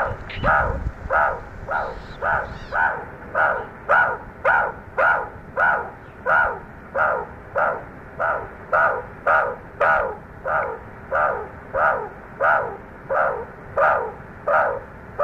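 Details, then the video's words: Young meerkats exploring outside their burrow for the first time, calling loudly: evenly spaced raspy, harmonic squawks repeating about every 0.6 seconds for the whole stretch, with a brief low thump near the start. "BABY MEERKAT SOUNDS"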